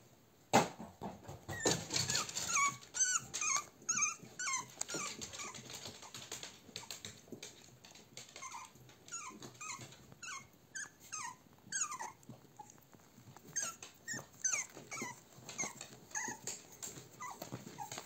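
American Cocker Spaniel puppies whimper with a stream of high, thin, falling whines and yelps.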